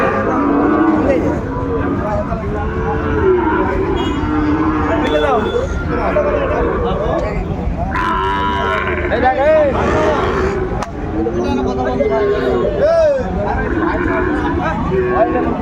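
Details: Young Sahiwal bull at a cattle market on 3 January 2024, late in the market day: low, drawn-out moos rise and fall among a busy crowd of talking traders and other market noise.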